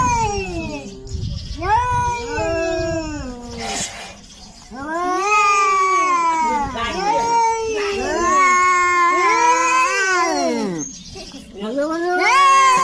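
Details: Territorial standoff between two cats: a series of drawn-out, arching yowls that rise and fall in pitch, overlapping and trading back and forth, with short pauses and a brief rustle between outbursts.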